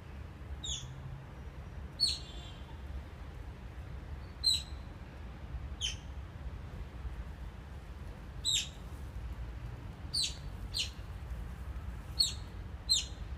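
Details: Captive Oriental small-clawed otters building a nest at Copenhagen Zoo, 17 November 2016, give a series of about ten short, high-pitched chirps at irregular intervals, sometimes in quick pairs, against a low hum.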